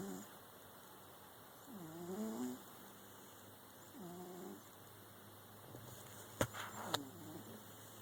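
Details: Percy, a pet cat, snoring during his nap: soft, low, wavering breaths rising and falling roughly every two seconds, quiet beneath a steady background hum, with two sharp clicks near the end.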